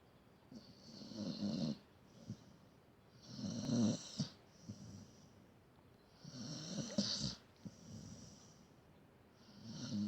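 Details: Sleeping pet dog snoring indoors: rough, rasping breaths in long pulses about every three seconds, each inhale carrying a low rumble and a hissing upper wheeze, with quieter exhales between.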